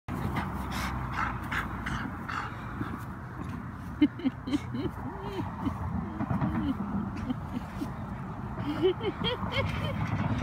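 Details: Ingeborga, a three-year-old female blue brindle Cane Corso (Italian mastiff), rolling wildly in grass, gives low wavering whines and grumbling moans that rise and fall, clustered mid-way through, amid rustling and handling noise.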